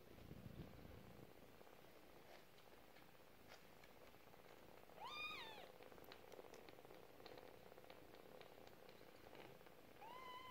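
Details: Four-week-old domestic kitten purring with a steady low rumble, interrupted near the middle by a short, sharp rising-then-falling meow and a second brief meow at the end.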